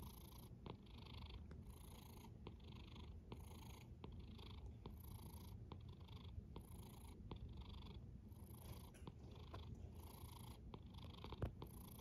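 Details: A sleeping cat snoring: a steady low rumble carries throughout, with soft breathy bursts in the upper range pulsing about once a second for twelve seconds, indoors and quiet.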